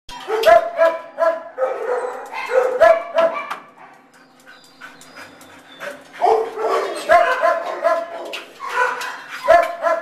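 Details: Shih Tzu dog reacting as it realises it is not going with its owner: bursts of short, sharp yapping barks in quick clusters, a quiet pause of about two seconds midway, then more rapid barking.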